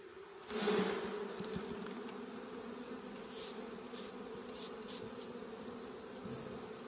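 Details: Honey bees during a honey harvest, giving a steady low droning hum that holds an even pitch throughout, with a brief louder rustle near the start and a few faint clicks and knocks.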